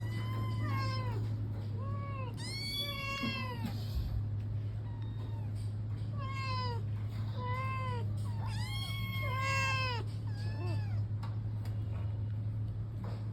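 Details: A Persian cat wanting to go out meows repeatedly indoors, each call a rising-then-falling harmonic wail, some short and some drawn out, over a steady low hum.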